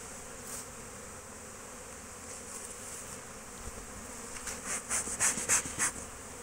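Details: Honey bees foraging at an apiary on 12 March 2024: a steady, even droning hum throughout, joined in the final two seconds by a run of sharp, rapid clicks and knocks.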